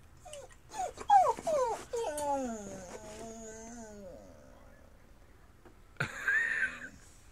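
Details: Pet dog whining as one of the household's four cats enters the backyard to stalk birds; high, tonal whines slide downward in quick repeated bursts for about four seconds, then a short sharper sound near the end.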